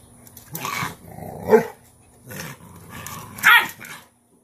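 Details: Cane Corso dam Cashmere teaching a dominant female puppy respect by holding her in a submissive posture; short gruff growls and rough bark-like bursts come in uneven pulses, ending in a sharp snap.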